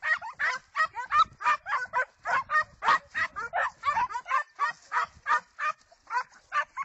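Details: Segugio Italiano hound baying in quick succession, sharp yelping barks about three a second, each bright and slightly rising, steady and unbroken across the stretch.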